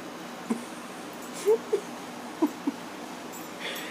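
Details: Female Whippet named Beans fussing over a light bandage covering a small wrist-pad sore, barely putting weight on the paw; a few soft, short whines, one drawn-out rising whimper then brief quiet squeaks spaced irregularly, with faint rustling.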